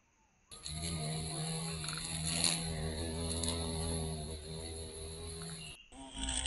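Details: Violet carpenter bee recorded in Mazovia, Poland, after its return from being considered extinct there in 2002. A steady, deep, close buzz holds for about five seconds, then cuts off. Faint bird notes are heard at the start and end.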